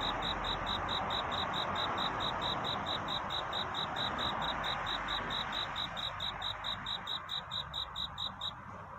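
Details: Night cricket courting toward dawn; rapid, even high chirps about twice a second, partly buried in a steady hiss of broad background noise, fading out near the end.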